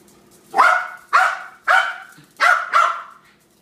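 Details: A dog named Harry barking in an agitated outburst, five loud harsh barks in quick succession over a quiet background, the last two close together.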